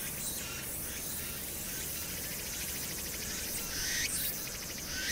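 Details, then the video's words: Summer night cicada chorus on Hwangnyeongsan, recorded 1 August 2019 against city noise: fainter hissing high buzzes with a few rising sweeps, over a constant low background hum. "황령산(Hwangnyeongsan)의 여름 매미소리"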